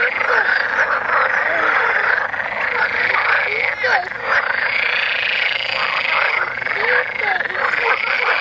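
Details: Numerous frogs croaking while mating in Mechelen's Vrijbroek park, Belgium: a continuous, rough chorus of overlapping rattling calls, with a few louder individual croaks standing out near four and seven seconds.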